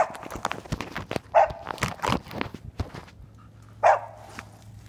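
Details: Flint, a dog, barking at a fox squirrel he has treed in a tree surrounded by briars; two sharp, loud barks about two and a half seconds apart over crunching footsteps and brush rustling.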